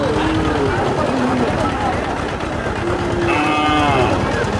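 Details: Cattle, including bull calves for sale, at Chowbaria cattle market in Manda upazila, Naogaon district, recorded 14 September 2018; low drawn-out moos rise and fall through dense crowd chatter and constant market noise.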